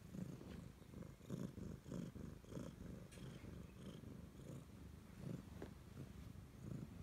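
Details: A clingy Siamese cat purrs in a deep, throbbing rumble that swells and fades roughly twice a second, with light rustling sounds in the background.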